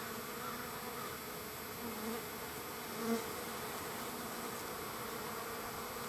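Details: Wild bees in large numbers at a feeding site, third day of feeding; their combined hum holds a steady low pitch, with one individual buzzing louder as it passes close.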